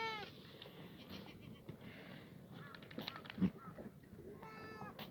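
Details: Black goats free-ranging on a farm at the foot of Muchuksan in Yeochari, Sangdong-myeon, Gimhae, South Gyeongnam, on a clear Tuesday morning, 11 June 2019; harmonic bleats at the start and near the end, faint calls between, over a noisy outdoor background.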